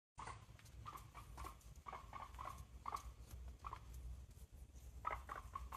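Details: Pet female guinea pig squeaking as she walks, which she always does, described as healthy and very communicative: soft, short, high squeaks repeated about every half second over quiet pattering footsteps, with a brief cluster of louder squeaks near the end.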